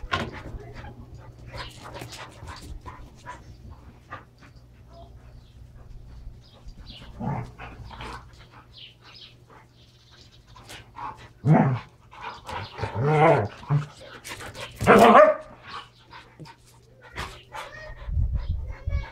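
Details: Standard Poodles Brizz and Copper wrestle while playing with toys. After a quieter stretch of scuffling, a run of loud, throaty growls and snarling barks builds, then fades to low grumbles.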